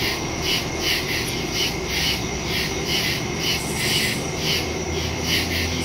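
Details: Woodland crickets calling at night, September 2, 2023, phone recording with a stereo microphone: rhythmic high chirps about twice a second above a dense, unbroken insect hum.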